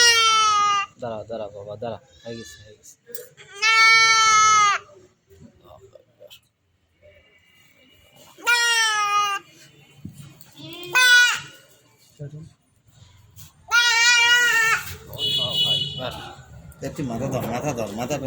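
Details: A buck goat being castrated bleats loudly in long, strained, harmonic cries, four main bursts roughly three to four seconds apart, while men speak and hold the animal; faint background music.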